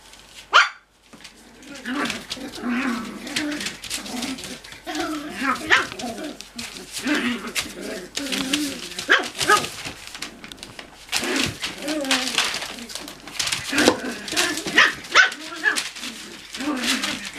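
Cocker Spaniel puppies yapping and growling in quick, high, overlapping barks during rough play.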